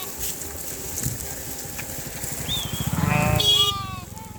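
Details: A flock of sheep grazing in a dry river bed near a village; a few short wavering bleats near the end over steady background noise and low rumbling.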